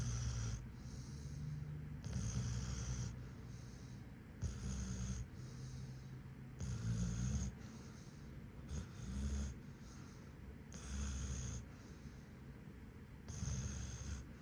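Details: Sleeping German Shepherd snoring: deep, rumbling breaths come in loud bursts of one to two seconds, separated by quieter stretches, with an uneven rhythm across the recording.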